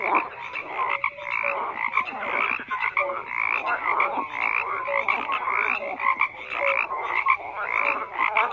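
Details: Frogs croak en masse, a steady throbbing chorus of rapid pulsed calls, with occasional short clear notes standing out over the dense, unbroken background.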